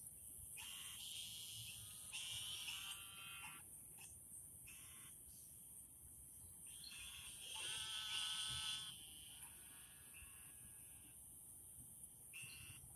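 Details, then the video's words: Many very vocal frogs calling at night in a garden: bursts of nasal, harmonic croaks in overlapping runs lasting a second or two, separated by short pauses, over a steady high insect-like hiss. "lots of very vocal frogs 🐸 are out tonight"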